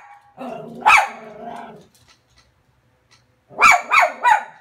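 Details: Cairn terrier Frankie barks at the TV in 2017: a drawn-out whining, growly bark with a sharp peak, a second of quiet, then three quick, sharp barks in a row.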